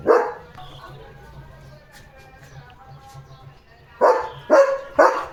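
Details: Domestic German Shepherd at home barking, with one loud bark and then a quieter stretch of low hum before three deep, harsh barks about half a second apart.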